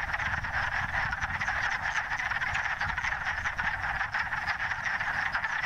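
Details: A dense chorus of wood frogs gathered to mate at a forest vernal pool on the first warm days at the end of winter gives rapid, duck-like clucking calls that overlap into a steady din.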